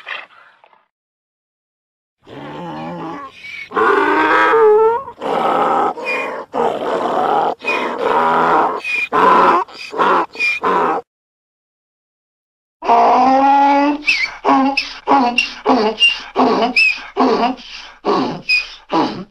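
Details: Donkey braying in two long bouts: rhythmic, pumping hee-haw pulses, rasping and harmonic, repeated about three times a second, separated by a pause of silence.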